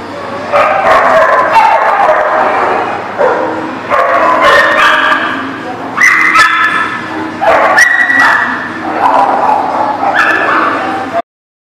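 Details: Several dogs at a dog boarding lot recorded 7/6/18, barking in overlapping bursts with harmonic yips and whines, continuous chorus with brief pauses around two and five seconds.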